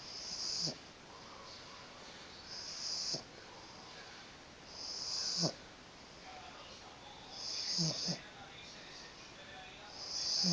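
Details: Pug snoring steadily, each breath a breathy, whistling wheeze followed by a short snort, the cycle repeating about every two and a half seconds, four or five times in a row.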